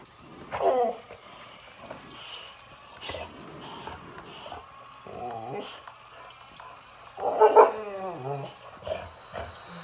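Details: Boxer dog standing up to an excavator, letting out whiny, rising-and-falling barking moans, one near the start and a longer louder one later, over a constant low mechanical drone.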